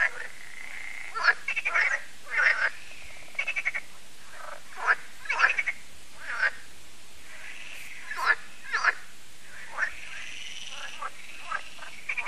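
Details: Evening at Lac de Sabatte, a lake in France, where frogs gather for an annual concert: scattered short rattling croaks from several frogs, spaced one to two seconds apart, over a quiet background chorus.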